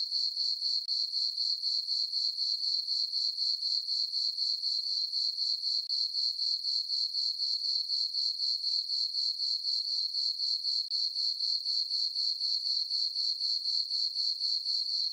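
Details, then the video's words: Crickets chirping on a peaceful summer night in a farm meadow under a full moon: a steady, high, ringing trill pulsing about four times a second, even and unbroken throughout, with no other sounds. "Cricket chirping sounds for sleeping - sleep and relaxation nature sounds at night"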